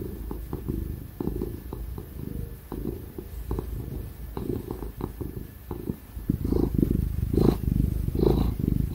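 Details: Ginger cat Tig purring contentedly under cuddles and pats: a deep, throbbing rumble in repeating pulses that grows louder and rougher toward the end, over the faint whir of a computer fan.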